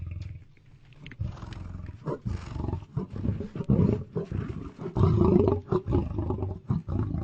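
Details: Lion giving a run of short, deep, rough bursts, choppy and uneven, several per second, with low rumbling grunts that grow louder toward the end.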